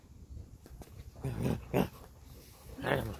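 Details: Alaskan husky playing ball, giving three short throaty grumbling growl bursts spread over a few seconds, separated by quieter gaps with soft background rustling.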